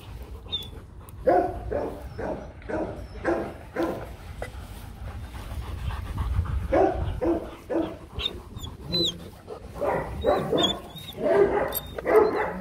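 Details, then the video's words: Rottweilers Loki and Siro during mating: rhythmic, breathy dog panting in bursts roughly twice a second, with short pauses, faint high chirps and a man's quiet voice nearby. "Lấy giống chó: Ngã ngửa mấy lần mới phối giống xong Loki &Siro mating"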